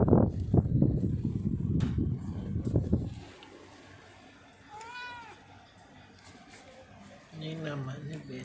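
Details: Grey Angora cat, a large-bodied house cat: after a few seconds of a woman talking, a single clear rising-falling meow, then a lower, shorter mew near the end, in a quiet room.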